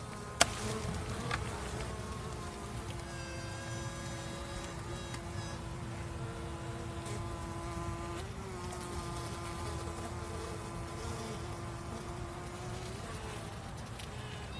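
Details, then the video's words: Female honey bee: a long, steady, mid-pitched tone holds for many seconds over a low buzzing hum. A sharp knock comes at the start, with fainter tonal notes above. "ఆడ తేనెటీగ స్వరం"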